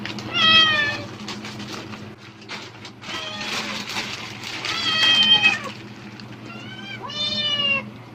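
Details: Excited pet cat responding to plastic bag sounds in hope of food, giving several loud, downward-curving meows spaced a few seconds apart, overlaid with crackling plastic rustles and low steady hum.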